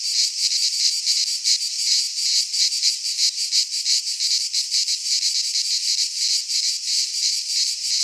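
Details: Chorus of cicadas in a pine forest in Greece at midsummer, a steady shrill rasping buzz that pulses rapidly and unevenly, unbroken throughout, with nothing else audible.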